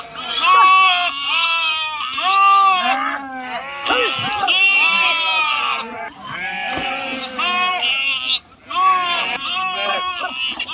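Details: Flock of sheep crossing a river, jumping in and swimming, calls almost nonstop: quavering, tremulous bleats overlap one after another, with brief pauses near four and eight seconds.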